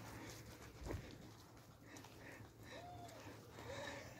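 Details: Beagle puppies learning to hunt by chasing a fake weasel; after a dull thump, two short, high, whining yelps arch up and fall away near the end, over a steady low background rumble.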